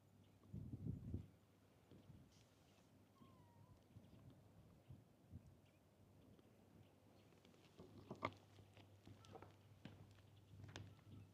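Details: Kitten seen at a fishing port, curious about the camera but still a little scared. Gives faint, brief meows, one sliding briefly around three seconds in and another near nine seconds, over low wind rumble and scattered knocks and clicks.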